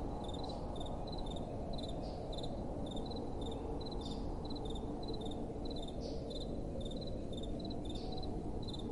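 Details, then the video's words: Nocturnal cricket calls: repeated sharp high chirps in tight bursts at a steady rhythm, set against a steady low-pitched wash of gentle wind. "Relaxing Night Time Sounds | Crickets & Soft Wind"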